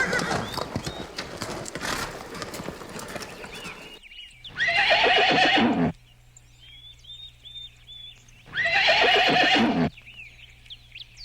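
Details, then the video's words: Horses, described as calm, playful or excited and alert: two long, loud, quavering whinnies about four seconds apart, each shaking and falling, following a noisy start, while small birds chirp steadily and a low hum runs between calls. "Sounds of horses."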